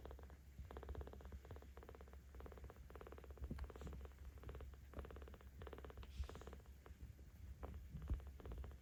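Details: Kitten 17 days old, cared for by cat volunteers in Tama City, Tokyo, purring as it is petted; continuous low rumbling purr with rhythmic pulses throughout, faint rubbing and handling noises.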